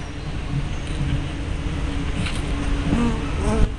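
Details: Honey bees buzzing at their hive entrance on 24 May 2012, recorded by a tiny spy camera with fisheye lens; a dense low drone with wavy buzzing tones rising toward the end.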